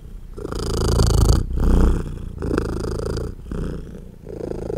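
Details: Mother British Shorthair cat purrs loudly and steadily, a deep rumbling buzz in rapid pulses with brief breathing pauses, while nursing her tiny baby kittens.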